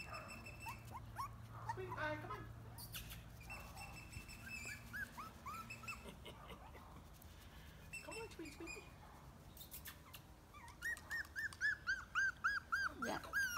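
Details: Squeaky, rising whines from chihuahua-mix puppies, part of a rescued litter of six, scattered at first, then a quick, evenly spaced burst of high yips near the end, with a low background hum.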